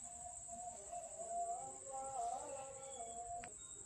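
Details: Hungry street cat in Banyuwangi, Indonesia, angry at being fed late: one long wavering meow that rises and falls over about three seconds, with a steady high cricket drone throughout.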